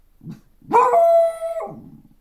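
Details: Pet beagle, a 1.5-year-old female, gives a sustained howl that starts with a brief upward swoop, then holds one even, ringing pitch for nearly a second before breaking off; soft low grumbling sounds come just before and after.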